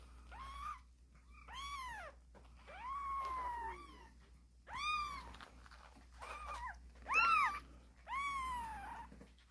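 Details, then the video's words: Several young kittens crying bravely: a busy run of about seven loud, arched meows, some overlapping, rising and dipping in pitch, with faint rustling and a low hum behind. "씩씩하게 우는 새끼고양이들, 제법 고양이 소리가 나는거같죠?"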